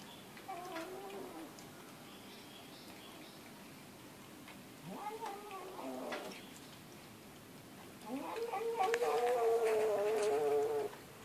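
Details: Pet cat producing three separate meows, the last one long and steady, with short pauses between them, recorded indoors with faint background rustling.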